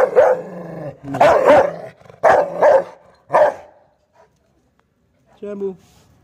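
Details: Rottweiler tied up and agitated, barking hard: four loud, harsh, deep barks in quick succession over about three and a half seconds, then a pause and a shorter, fainter bark near the end.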